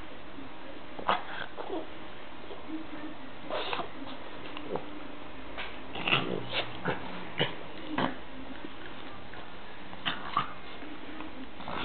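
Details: Boston Terrier and American Hairless Terrier at home, play-fighting and trying to eat each other as they do every day; scattered short, sharp vocal bursts and snorts come at irregular intervals, some in quick pairs, over a low background rumble.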